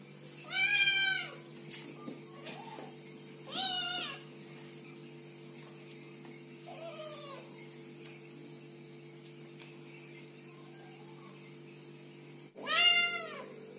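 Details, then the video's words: Kittens meowing: several short, high meows, some loud and some quiet and distant, separated by pauses, ending with a sharp click and one more loud meow over a steady hum. "Little kittens meowing and talking"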